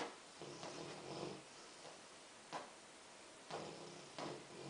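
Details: A Rottweiler snores softly while dreaming, with breathy, rasping bursts at uneven intervals.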